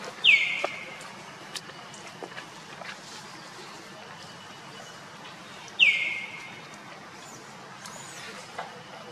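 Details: Monkeys, with Luna running fast while carrying Luno and Rainbow trying to take Luno away; two sharp, high squeals sliding downward, about five seconds apart, over a quiet outdoor background with faint ticks.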